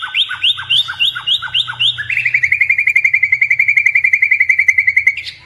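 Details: Indonesian pet white-rumped shama, blorok variety, singing energetically: several paired down-slurred whistles, then a long, even, rapid chatter of clipped notes ending in a rising flourish.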